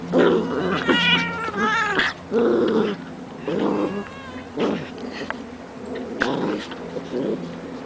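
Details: Pet cat teased by three dogs, giving repeated harsh growling and drawn-out caterwauling yowls in bursts about a second long, with short gaps between them and barking mixed in from the dogs nearby.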